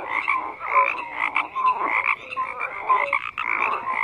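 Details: Chorusing frogs, many voices croaking at once in raspy pulsed bursts about every second, with short pure tonal notes interspersed over a constant background of calls.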